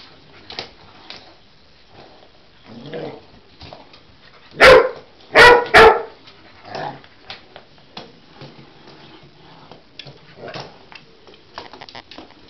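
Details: Cocker Spaniel Husky mix dog reacting to a toy animal it seems to take for real, giving three sharp, loud barks in quick succession midway, framed by quieter shuffling, soft huffs and light movement noises.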